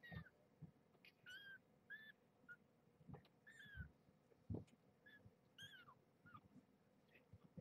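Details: Newborn kittens, five born November 22, 2014 to the rescued stray Marge at Purrfect Pals, woken from sleep-nursing naps for weighing; short high mews rise and fall, about eight in quick succession, over low human voices.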